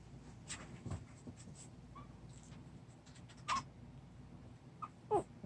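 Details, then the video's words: A 26-day-old puppy, one of two littermates named Jungi and Bogeomi, gives a few brief, high, squeaky whimpers spaced seconds apart, each a short falling tone, over soft rustling and scratching in a quiet indoor setting. "강아지 말"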